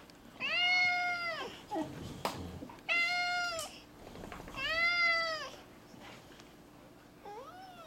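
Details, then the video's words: Indoors, Zebulon, a four-year-old male cat, keeps up a talkative run of meows about a lizard: three long, clear, arching meows with rich harmonics, spaced about two seconds apart, then a short rising chirp, with faint rustling between. "Cat talks about a lizard"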